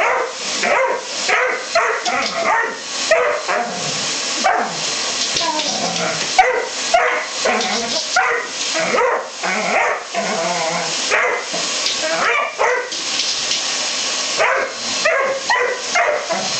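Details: Dobermann barking and yelping in rapid, irregular bursts, some barks sharp and short, others drawn into higher whining yips, over a constant hissing background, with a human voice briefly audible.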